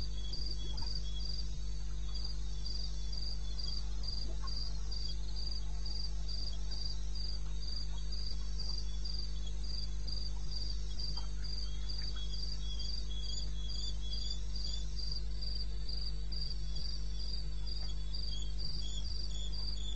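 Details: Crickets at night in eastern Botswana's wilderness, recorded 21 May at 2:30 am: a long run of shrill, evenly spaced chirps, roughly three to four per second, with a fainter second chirper and a constant low drone underneath.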